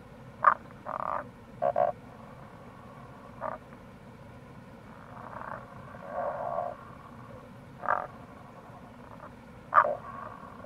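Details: Wild Tago's brown frog (Rana tagoi) calling in April near a gorge on the Kamo River, Itoshima, Fukuoka, Japan: short low croaks and longer pulsed grunts at irregular intervals, several overlapping, over a steady hiss of running water.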